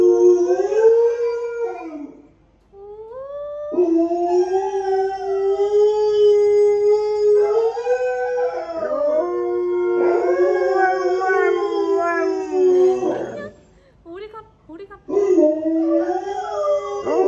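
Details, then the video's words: Honey, a pet Alaskan Malamute, howls wolf-like in answer to a played wolf-howl recording: a series of long drawn-out tonal howls, each held steady then bending downward, broken by brief pauses and a few short yelping notes near the end. "Mật Hú Như Chó Sói Siêu Ngầu - Trời Ơi My Alaska Dog HONEY Howls Like A Wolf"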